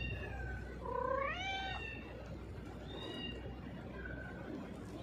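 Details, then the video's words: Hungry cat with a broken leg meowing loudly at feeding time: a rising, pleading meow near the middle, bracketed by fainter short mews, with a constant low hum behind. "hungry cat loudly meowing"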